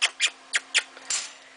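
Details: A young pet black-tailed prairie dog, male, excited and happy after being put back in his cage, gives short, high, squeaky barks in quick succession.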